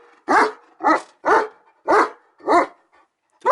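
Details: German Shepherd Odin barking steadily: six or seven deep, harsh barks in a row, one roughly every half second to two-thirds of a second, clean and loud with no other sounds.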